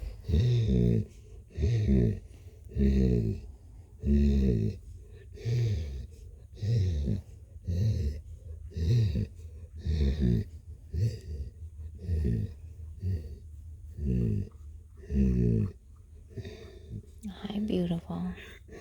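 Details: Blue, a pet cat, purrs steadily. A long run of short, low, vibrating bursts repeats almost every second, with soft breathing sounds between them.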